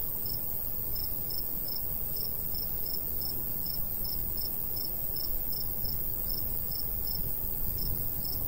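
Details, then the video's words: Cricket chirping in summer countryside beside a golden wheat field, light breeze: evenly spaced high, clipped pulses, around two or three each second, running steadily above a deep windy hum. "Countryside/cricket sounds"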